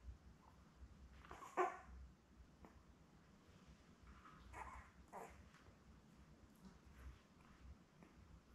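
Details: Newborn Labrador Retriever puppies, a litter of seven born May 24, 2021, with their mother Belle, watched indoors by a puppy cam; one short high squeal near the start, then faint rustling and soft shuffling in a quiet room.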